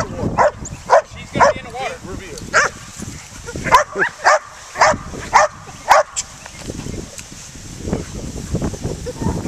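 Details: A protection-trained dog doing a hold and bark in a sprinkler: sharp, loud barks about twice a second for six seconds, then quieter, more broken barking with a person's voice and water spray in the background.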